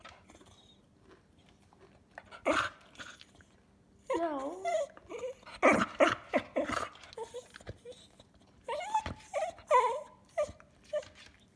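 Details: Cocker spaniel dog indoors in a small room, making 'talking' vocalizations: wavering, whiny yowls rising and falling in pitch, in bursts around four to six seconds and again near nine to ten seconds, with soft clicks and faint human voice between.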